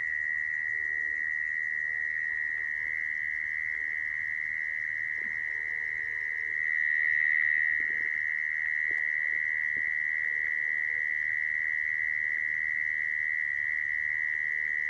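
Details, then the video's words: Trapping lure of mole cricket song: a long, steady high buzzing trill that never breaks, swelling briefly louder midway, with a few faint soft knocks in the background. "Tiếng dế dũi dùng để bẫy"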